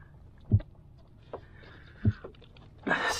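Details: A big black drum (Pogonias cromis), just caught and held on a paddleboard on the Florida flats, drums with deep, booming thumps, low knocks spaced a second or more apart, amid handling noise; the drumming's purpose is unclear.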